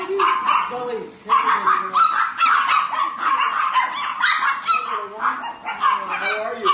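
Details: Many Chihuahuas swarming a person lying on the floor at a sanctuary, giving a continuous jumble of shrill yips, squeaky whines and quick barks, with curving whimpers and a person talking among them.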